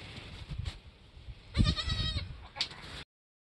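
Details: Goat on a homestead, a herd queen who has just given birth to a doeling and a buckling, with kids in their first hour or two; a short bleat with stacked harmonics lasting about half a second, then fainter rustling and wind noise.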